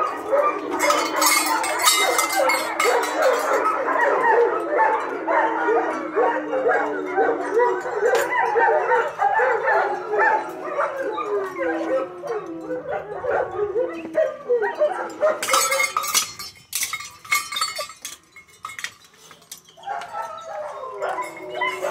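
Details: German Shepherd puppies, two liver and tan and one black and tan, playing and crying: dense overlapping high whines and yelps, rising and falling, continuous for about fifteen seconds, then fading, with a woman speaking softly and occasional clinking.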